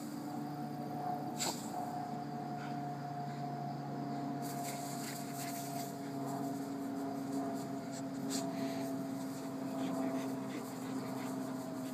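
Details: A steady mechanical hum with scattered scratching and knocking noises, and no animal voice. Faint indoor handling sounds come and go over the drone.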